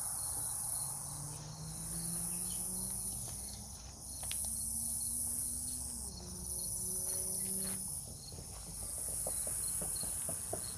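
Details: Night chorus of cicadas by a fallen tree in farmland forest near Omaha, Nebraska, on 3 August 2021. A shrill buzzing surges and ebbs roughly every two and a half seconds, and low drawn-out tones glide beneath it.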